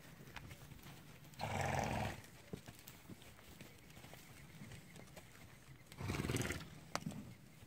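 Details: Registered foundation American Quarter Horse fillies, five to eight months old, near Rochester, Texas, on 10 January 2017 at evening feeding time; two loud, broad, breathy calls about four seconds apart, with hoof thuds and light handling noises between them.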